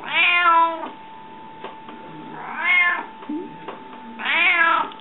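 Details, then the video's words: Hungry domestic cat indoors, called a talking cat: three drawn-out, pleading meows about two seconds apart, each rising and falling, with a faint hum and small household sounds between them. "Runājošais kaķis,Talking Cat"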